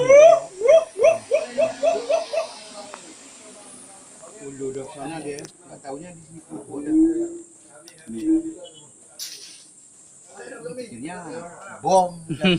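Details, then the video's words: Siamang at Gunung Gerute in Aceh Barat, Aceh, opening with a quick run of sharply rising hoots, followed by scattered lower wavering calls and another burst of rising notes near the end. "Suara Siamang Gunung Gerute Aceh"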